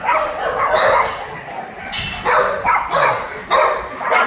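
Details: Abandoned dogs at a shelter in Yangsan, South Korea, barking in a crowded, overlapping chorus. Sharp bark bursts come every half second or so above a steady din of more distant dogs.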